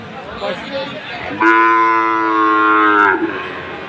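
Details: Sahiwal bull calf at a sale in Khulna, Bangladesh, on 7 January: one loud, sustained, even moo lasting about two seconds, rich in harmonics, with faint crowd murmur before and after.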